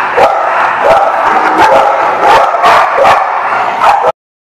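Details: Dogs bark on 28 June 2019 in a busy, overlapping volley of short barks, with louder accented barks about once a second. The barking stops abruptly near the end.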